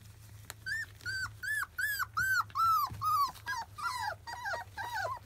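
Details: Field-type Labrador Retriever puppies, 25 days old, around their first weaning food: a run of arched, whistled whines, each rising then falling, repeated quickly about two or three per second and growing louder toward the middle, over a low steady hum.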